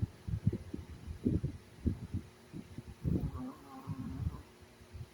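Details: A sleeping Chihuahua snoring indoors: rough, low rumbling breaths in irregular bursts about every half second, with a faint nasal whine in the middle of the clip.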